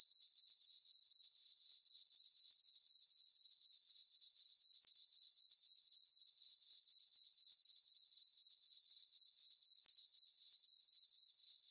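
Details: Crickets in a farm meadow on a dark, full-moon summer night keep up a bright, ringing chirp, pulsing steadily around four times a second for the whole stretch, with nothing else audible.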